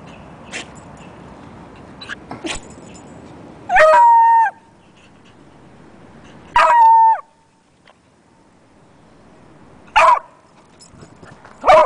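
A beagle gives short, ringing howls, each a bent, harmonic note repeated every few seconds.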